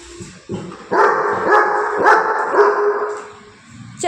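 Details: Drawn-out, tonal barking from a pet Labrador Retriever, several strained bark-like cries running together over a few seconds, with Telugu speech around them and a short pause before a final sharp note.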